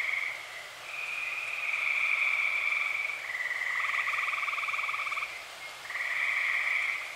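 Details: A night chorus of tree frogs in early summer, Eastern Pennsylvania: continuous high pulsed trills layered with lower rapid pulses, individual callers starting and stopping every few seconds so the sound rises and dips.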